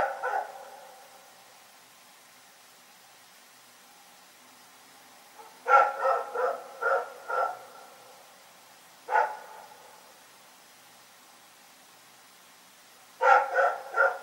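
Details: Rex, a dog, barking at night: harmonic barks clustered in bursts, a single bark near the start, a run of four, a lone bark, then three more at the end, quiet gaps between.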